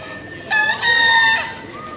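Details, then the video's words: Crowing bekisar, Pratama class final, Pakualam Cup national contest, Yogyakarta, December 2017: a single crow in two parts, a short bright onset followed by a sustained, harmonic-rich tone ending in a drop. "SENI SUARA ALAM AYAM BEKISAR"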